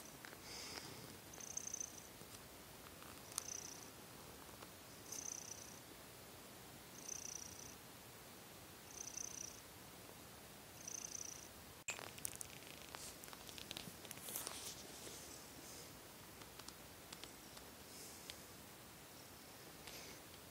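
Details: Young domestic cat purring indoors at night before sleep, settling its breathing after kneading; soft rhythmic purr cycles with a breathy hiss about every two seconds for twelve seconds, followed by rustling and shuffling.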